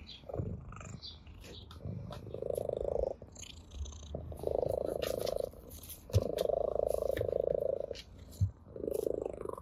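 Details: Orange tabby cat at play with a blade of grass, purring contentedly: low buzzing purr phrases lasting about a second each, separated by quieter pauses, faint scratchy rustles throughout.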